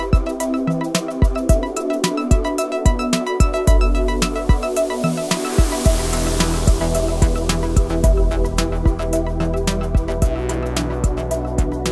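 Rhythmic electronic music with a thumping beat and layered tones, and no animal sound heard.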